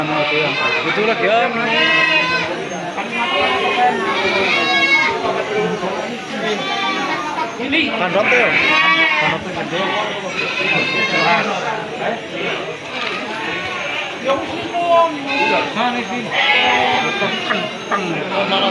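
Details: Sheep at the Jigjeg livestock market in Bumijawa, Tegal Regency, Indonesia, on Wednesday 10 July 2024: several loud, wavering, harmonic bleats recur every few seconds from different animals over dense crowd chatter and shouting.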